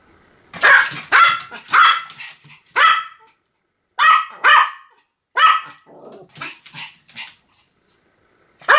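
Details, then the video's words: Pomeranian barking in quick bursts, sharp yappy barks often in pairs with short pauses, over a quiet background. "犬の鳴き声 ポメラニアン 1000回吠え Dog sound effect"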